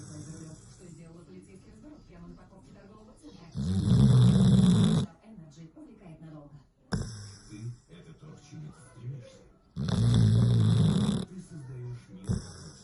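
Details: Sleeping dog snoring: two long, loud, rasping breaths several seconds apart, with quieter wheezy breathing and low murmuring between them.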